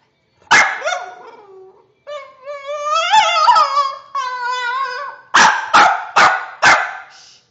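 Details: Deaf pet bulldog making weird screeching noises: a sharp yelp, then long wavering high-pitched screeches, followed by four quick loud barks.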